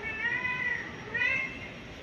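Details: Anxious mother cat hunting for her kittens gives two long, clear meows, the first sustained and gently falling, the second shorter and higher, against soft constant hiss.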